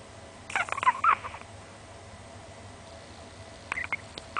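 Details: A small Chihuahua, about 20 cm tall, snoring loudly while asleep with its tongue hanging out; two short bursts of raspy, snorting breaths with thin nasal whistles, about three seconds apart, with quiet in between.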